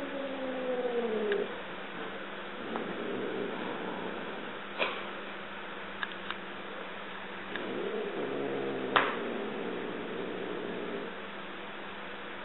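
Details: Two-year-old Siamese cat Mia, sharing a home with a four-year-old dog and stalking in play, utters a descending wailing meow, then a second softer drawn-out meow later, with scattered clicks and taps amid a low household hum.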